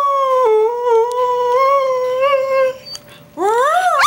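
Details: Long steady greyhound howl held on one wavering tone for nearly three seconds, a brief pause, then a new howl sweeping sharply upward; the dog is singing.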